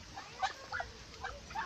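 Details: Native pigs kept in a small pen give a quick series of short, squeaky high grunts and squeals, four or five brief bursts over under two seconds.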